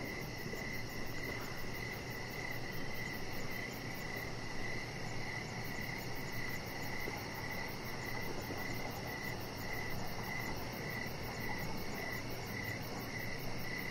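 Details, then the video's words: Evening crickets outside on a deck give short, even chirps roughly twice a second, with a fainter, higher pulsing trill above and a constant low rumble underneath. "Cricket Sounds"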